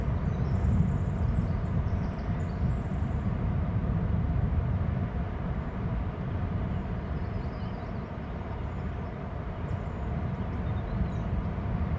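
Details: A steady, deep rumble like wind or distant traffic fills the recording, with no clear animal calls.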